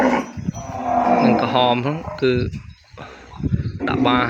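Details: Calf kept from its mother in a pen, crying for her: short, wavering, strained moos that bend up and down, broken by a brief quiet gap, with a human voice mixed in.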